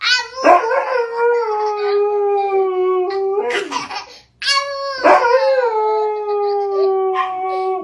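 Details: Siberian Husky 'talking' with its owner: long drawn, wavering howl-like moans with rich harmonics, each sliding slowly downward, two main phrases split by a brief pause, with short yelping breaks at their starts.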